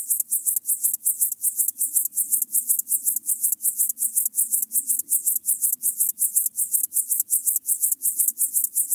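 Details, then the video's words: Stridulating Chorthippus apricarius recorded 9 October 2020 in Moosham, Austria: a steady train of high, rasping pulses around 162 per minute over a soft low background hum. "Chorthippus apricarius -- Feld-Grashüpfer -- Locomotive Grasshopper"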